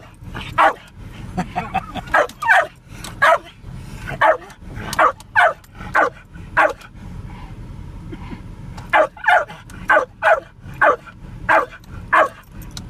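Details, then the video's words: Excited Jack Russell Terrier named Spike barking at cows from a moving car: rapid shrill yaps in clustered runs, a brief lull midway, then another volley of barks, with steady low vehicle noise underneath. "Jack Russell Terrier ❤️LOVES COW HUNTING!"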